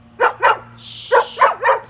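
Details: A female German Shepherd in her yard gives sharp, deep barks in pairs at a white-tailed deer, as she does not like anybody else in her yard.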